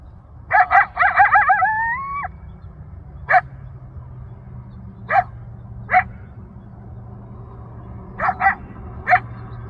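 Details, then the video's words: Coyote in Newbury Park's Rancho Sierra Vista open space yelping for family and friends, heard from a mile away: a quick burst of yips running into a long wavering rising howl, then scattered single and paired yips over low hum. "Yelping Coyote in Rancho Sierra Vista, Newbury Park"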